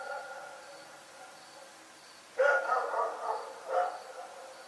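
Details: Rex, a dog, barks in the night. After a quiet stretch comes a burst of loud, rough barks in quick succession, ending in one more bark, with a faint, steadily pulsing high tone behind.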